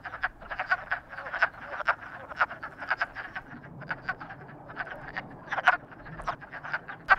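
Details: Several frogs croaking, described as frogs in love: dense, rapid clicking croaks overlap in quick bursts throughout, some louder and closer, with no other clear sounds.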